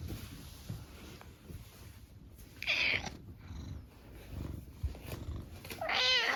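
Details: Brown tabby house cat indoors in its usual room, greeting its owner on entering and seeking affection: two clear, tonal meows, a short one near three seconds and a longer rising-then-falling one at the end, over quiet room noise.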